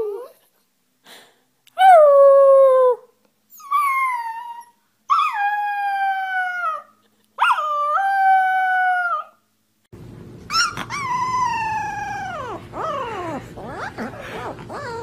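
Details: Puppy howling in a cute compilation: a series of short, wavering tonal howls, each one to two seconds, bending downward with bright harmonics and separated by silent pauses, then a louder, rougher falling howl over a low hum.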